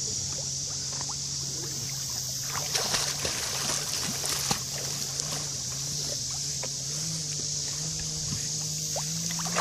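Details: A constant low engine drone runs under a bright hiss and scattered clicks and splashes, with no animal call heard.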